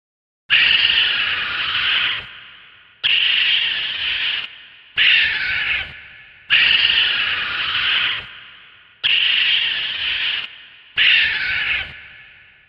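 A raccoon lets out a series of rasping, high-pitched squeals that start abruptly and fade away. Six screeches come in steady succession with short silent gaps between them.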